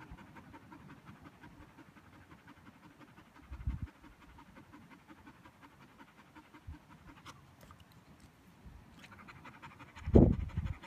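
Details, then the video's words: Border Collie tired after playing fetch, breathing in quick regular pants that run evenly through the clip, with a few low knocks and a louder bump near the end. "Border collie McNab tired after fetch"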